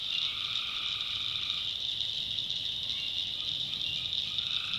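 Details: Tree frogs calling at night in a North Carolina backwoods swamp: a dense, steady chorus of high shrill trilling with a lower droning band fading in and out, with no gaps across the stretch.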